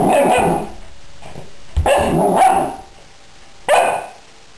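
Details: A female puppy fighting a toy flying squirrel indoors after earlier slipping on a hardwood floor: three separate bursts of harsh, growly barks, the last short and sharp, with quiet gaps between.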